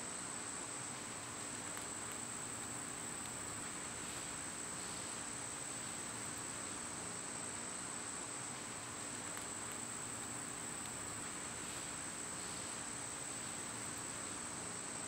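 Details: Cicadas singing in summer, recorded on a day they were at their quietest: a steady, unbroken high-pitched drone holds throughout, with a few faint short chirps from other creatures on top.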